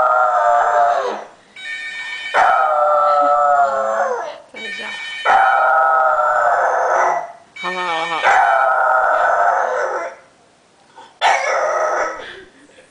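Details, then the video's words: A French Bulldog howls in response to a phone ringing, giving five drawn-out, wavering howls of about one and a half to two and a half seconds each, separated by brief pauses. "french bull dog~ Malfoy phone ring"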